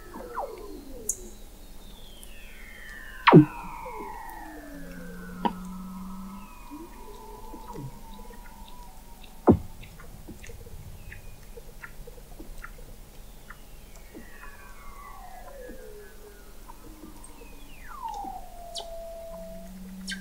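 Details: Antarctic Weddell seals beneath the sea ice at McMurdo Sound, November 2017, from the McMurdo Oceanographic Observatory 21 m down: several eerie downward-sliding whistles and chirps, a steady low hum in two short bursts, and two loud isolated clicks.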